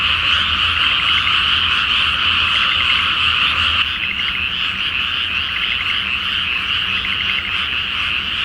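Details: Frogs in a loud night chorus over a flooded rice field before planting, under a full flower moon in Japan; dense overlapping croaking trills fill the air continuously, with a faint low hum beneath.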